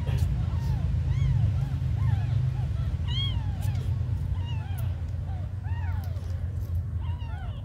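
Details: Abandoned kittens mewing in short, arched, high-pitched calls that come rapidly and irregularly, several overlapping, against a heavy low-pitched hum.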